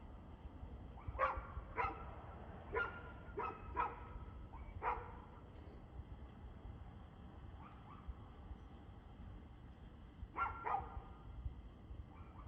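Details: Dog barking on 2/6/2024 at 6:02pm: sharp barks in short bursts of two or three, repeated through the clip with pauses between them, heard at a distance over steady low background rumble.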